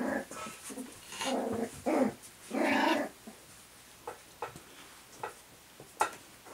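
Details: Cairn terrier puppies at play make rough, buzzy growls in bursts of about half a second, mixed with small yaps, with a few sharp clicks and knocks between them in a small room.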